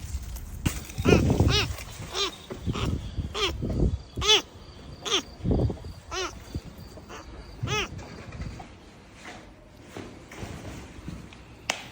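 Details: Lone kitten hidden among flowers by a front entrance, calling persistently as if separated from its mother; a string of clear, rising-and-falling meows at irregular intervals, broken by low thumping and rustling handling noises.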